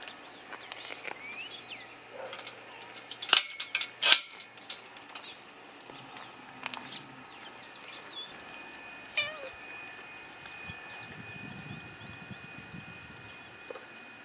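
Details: Cats kept inside a fence, giving thin, high meows that rise and fall, scattered unevenly through the recording. Sharp knocks and clatter break in around the fourth second and again near the ninth, over a steady faint background hum.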